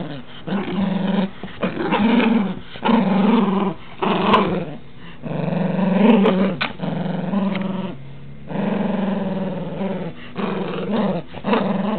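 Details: Rambo, a pet dog, making lots of noise as he plays roughly with toys in a small room; continuous throaty growling in repeated bursts with short gaps, each rumble rich and harmonic, occasional yip-like edges.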